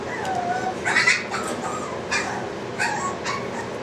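Several Boston Terrier puppies make high-pitched whimpering and squeaky yipping sounds, each brief and wavering. The calls come in irregular bursts over a soft background hiss.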